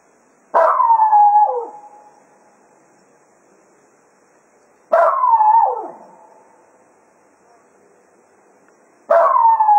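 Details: Jack Russell Terrier howling farewell to the hounds as foxhunting ends at Quail Roost: three separate drawn-out howls about four seconds apart, each starting loud and falling away, with quiet gaps between.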